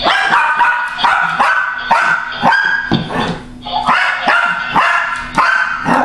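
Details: Female pet dog barking loudly at a motion-activated laughing, rolling toy, sharp harmonic barks repeated rapidly about every half second over a steady low hum from the toy.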